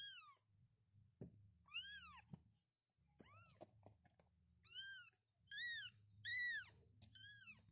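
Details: Kittens calling for their mother with a series of high, arching meows, some brief and some drawn out, about six calls with soft thumps and handling noises and a low background hum between them.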